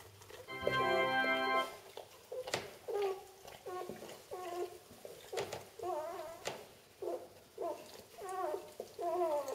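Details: Newborn Vizsla x Labrador puppies, Vizsla mother and Labrador father, on their first day during a live whelping. Repeated whiny squeals that bend up and down, following a brief sustained organ-like chord near the start.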